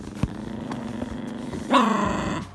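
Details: An angry Toy Poodle with a towel wrapped around its head growls while being soothed indoors: a low, steady rumbling growl, then a sudden louder, higher, harmonic snarling whine near the end, with faint clicks and a human voice.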